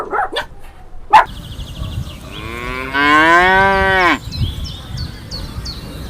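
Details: Cow mooing among a compilation of farm animal sounds: after a couple of short clicks, one long loud moo with many stacked harmonics, slightly falling and ending abruptly, followed by faint high chirps.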